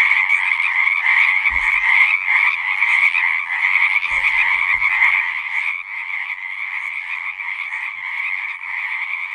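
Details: Many frogs calling at once in a natural soundscape, a thick rattling chorus that thins slightly after the midpoint, with a couple of faint low thumps early on.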